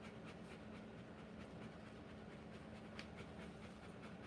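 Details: Rottweiler panting while giving birth to puppies: soft, rapid breathy huffs repeated about four times a second, low and steady against a constant low hum, with no other voices.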